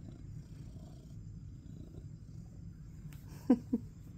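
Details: Domestic male cat seeking attention, purring while being petted on the back; soft low continuous rumble, then a light rustle and two short sharp sounds near the end.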